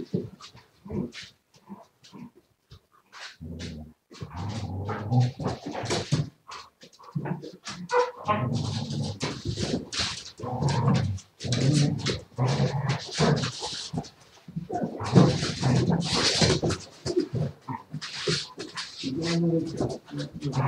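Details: Live indoor recording of a Siberian Husky from 07.02.2019, with a long, broken series of varied whining, grumbling vocalizations of uneven length, some low and rumbling, others sharper, separated by short quiet gaps.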